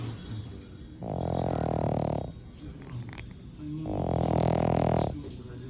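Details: A female French Bulldog sleeps and snores loudly, each long, rumbling, buzzy breath lasting about a second.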